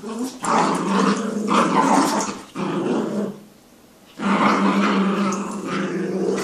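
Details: Jack Russell and Yorkie playing tug of war indoors. Continuous rough, rumbling growls in two long bouts separated by a brief quiet pause.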